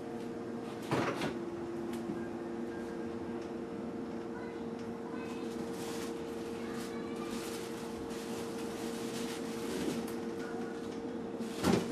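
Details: Quiet indoor room tone with a steady electrical hum, a couple of cupboard or door clunks and faint distant voices.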